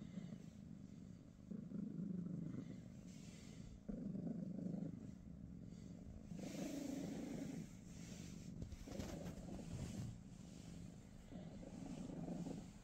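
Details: British Shorthair cats Pikachu, Teddy and their niece Rosie on a morning at home: a low rumbling purr in steady breath cycles, louder bursts roughly every one to two seconds, with faint hiss behind.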